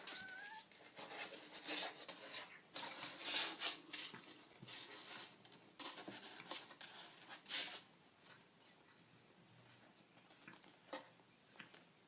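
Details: Baby kittens: one short, thin, high meow that rises then falls at the start, followed by several seconds of rustling, scratching and handling noises indoors, with no further calls.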